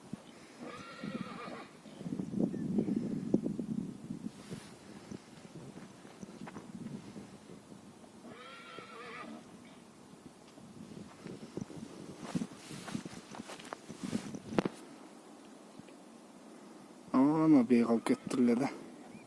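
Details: Stallion giving three separate whinnies, each a wavering, harmonic-rich neigh of about a second, spaced several seconds apart. The last is the loudest. Faint knocking and shuffling sounds fill the gaps.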